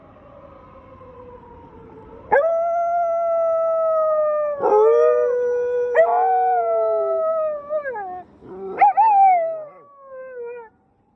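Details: Pair of rescue dog sisters howling in response to a passing police car siren during an evening walk; several long harmonic howls begin abruptly, sliding downward and breaking into short rising yips near the end.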